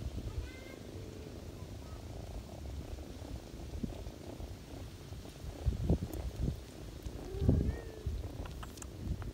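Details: Ginger cat feeding kittens on a person's knees in autumn, purring in a low steady rumble, with a couple of short faint meow-like calls and some rustling movement near the end.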